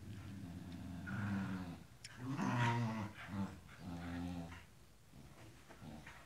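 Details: Tibetan Terrier growling during play indoors. A low, drawn-out rumbling growl rises into a louder, harsher stretch midway, then eases into softer rumbles. Faint background noise is heard throughout.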